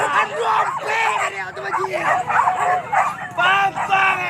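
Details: Pack of dogs chasing wild boar at Kayu Ampek, Tanjung Emas, Tanah Datar, yelping and baying in quick repeated bursts, several animals overlapping, with people talking and calling throughout.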